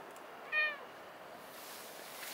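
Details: Cat at Nippon Maru Park, recorded early in the morning on 26 December 2020: one brief, high, clear meow, followed by steady background hiss.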